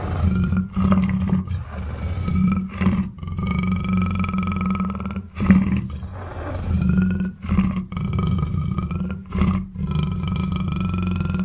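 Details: Black panther producing a heavy rumbling growl in repeated surges a couple of seconds long, separated by short gaps, with thin steady higher tones running above.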